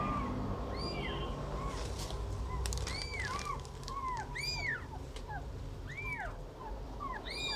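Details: Cat and kitten feeding: a rapid run of thin, high, arched mews, rising and dropping, overlapping in quick succession, with sharp clicking taps and a low background hum.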